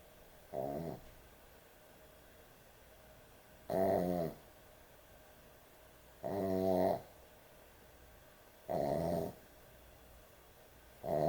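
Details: Heavy snoring from a sleeping dog at bedtime indoors: five rough, harmonic snores spaced roughly every two and a half seconds, each lasting about half a second, with a quiet room hum between them.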